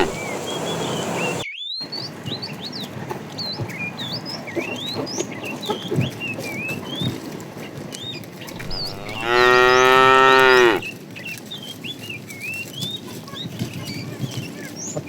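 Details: Tame cows roaming the road looking for food: one long, loud, deep mooing call with a rich harmonic tone lasts about one and a half seconds mid-clip, while many small birds chirp and twitter throughout.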